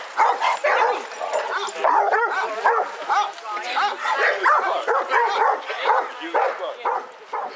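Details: Basset Hounds, part of a group of 22 out walking round Hazlehead Park, Aberdeen, Scotland, on 2 February 2014, give rapid, overlapping, mid-pitched harmonic barks and bays, several a second, with people's voices mixed in.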